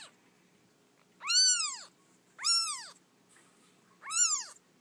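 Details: A rescued orphan kitten just days old from a feral cat colony cries in three loud, rising-then-falling meows about a second apart over faint low background hum.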